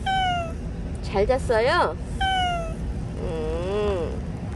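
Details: Final recording of Bolt, a stray cat who lingered for one year and five months: several plaintive meows, some long and falling, one wavering and rising, mixed with brief chirpy vocal sounds over background hum.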